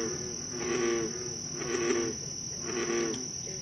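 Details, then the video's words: American bullfrogs croaking at night in Moore's Swamp, Concord, Massachusetts, on July 28, 2013; three throaty, harmonic croaks come roughly once a second over a steady high-pitched insect drone. "Bullfrogs Croaking"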